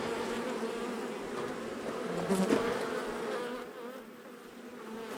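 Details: Angry honey bee colony, long established in the wall of a house, disturbed during a March 6 rescue cutout as darkness fell: a dense, continuous droning buzz with steady low hum bands, swelling briefly midway with a few soft knocks.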